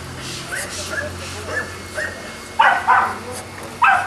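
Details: At a Boston Terrier kennel in Jamundí, Cali, Colombia, soft distant yips give way to three louder, clipped barks near the end, with quieter background between them.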